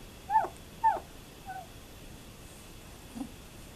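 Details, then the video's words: German Shepherd puppies twelve days old, litter of Fan-Widi's HIPPI and Koby von Fidelius, 18 November 2012: two clear high squeaky whimpers about half a second apart, followed by softer fading squeaks in a quiet room. "Schæferhvalpe 12 dage"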